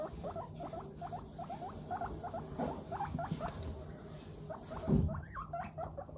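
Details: Happy pet guinea pigs, Teddy and Abyssinian breeds, give 'pupupu' chatter while trotting about: short upward-flicking chirps repeated roughly three times a second, with a louder snort-like note near the end.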